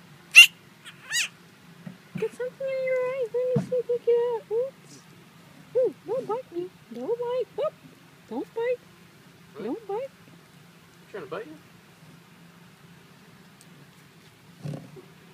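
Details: A four-month-old Chihuahua puppy, handled indoors and nipping, gives a run of high, wavering whines and yelps, some rising and falling, in short bursts, while a woman talks to it over a low background hum.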